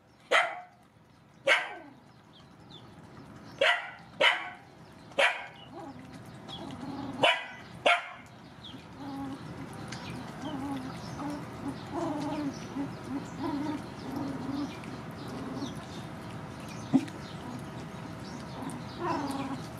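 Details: Rescue dogs, mothers with puppies, being fed: a handful of loud, sharp barks spaced about a second apart in the opening eight seconds, then a low steady background hum with faint distant yips.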